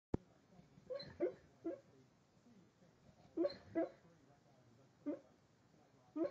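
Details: Wyatt, a pet dog who barks only while asleep, giving soft muffled woofs in a quiet room, some paired, in bursts near one, three and a half, five and six seconds.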